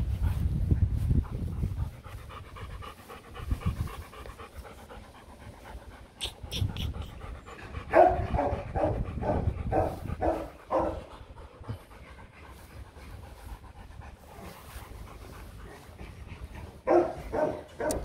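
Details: During mating of Rottweilers Loki and Siro, low rumbling handling noise gives way to fast, rhythmic dog panting in bursts. The panting pauses briefly and returns strongly near the end.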